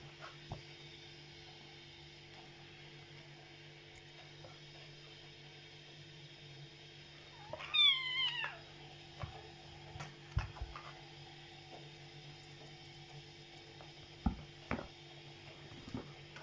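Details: A cat gives a single short rising-and-falling meow midway, set against a steady electrical hum and scattered clicks and knocks.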